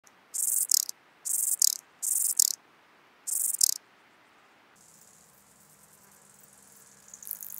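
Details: Ladder grasshopper (Stauroderus scalaris) singing in Muhrtal, Austria, on 9 October 2020: four loud high-pitched rasping bursts, each about half a second long, with pauses between them, followed by near silence with faint high hiss.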